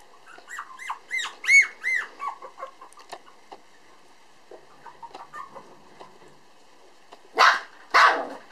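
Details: Black male Toy Poodle puppy Pump, 431 g, recently walking upright, at a breeder in Japan in December 2012, makes rapid high arched squeals that fade into sparse squeaks, followed by two sharp, rough bursts.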